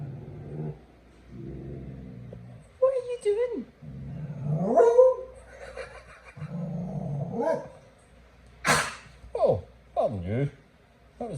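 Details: A beagle lying upside down gives low, growly moans that swing up into wavering howls, broken by a short cough.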